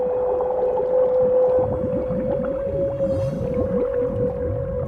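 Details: Humpback whales in Alaska dive beneath a herring shoal on their autumn feeding grounds and sing during cooperative feeding, the loud song panicking the herring up toward the surface; rapid overlapping low sliding moans and downsweeps over a steady musical tone.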